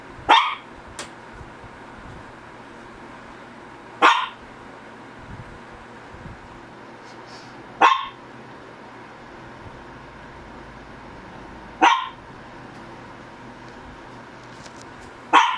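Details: Shih Tzu, one of the pet dogs Ggung and Ssong, giving sharp single barks about every four seconds, five in all, with quiet pauses between them and a faint hum underneath.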